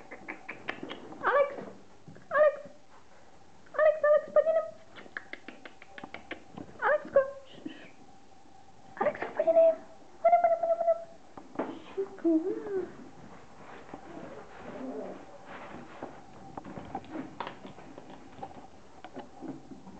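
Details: Five-week-old fox terrier puppies of a kennel litter indoors give short, high, wavering whines and yelps in clusters, some rising then falling, over a background of human speech and household noise.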